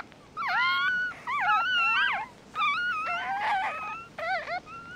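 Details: Mixed-breed puppies just born, eyes not yet open, whimper in quick, wobbling squeaks that dip and rise, several pups calling over one another in three or four bursts.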